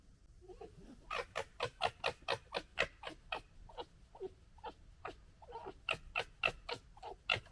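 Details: A red fox gekkers, a harsh, stuttering chatter of rapid raspy pulses, during fighting and general disagreement, recorded in 2021.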